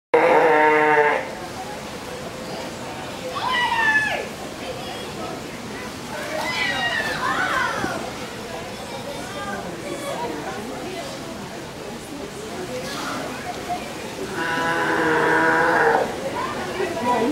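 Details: A California sea lion at Vancouver Aquarium gives loud, harsh honking calls at the start and end, with people talking between.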